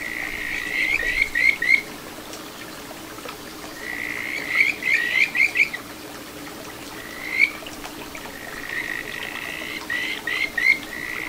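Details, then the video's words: Kajika frog calling at a little satoyama brook in Ichihara, Chiba, Japan, on 9 June 2022: clear whistled phrases of quick rising notes, each burst about a second long, repeated every few seconds over steady running water. "カジカガエルの鳴き声 里山を流れる小川に響くかはづの美声"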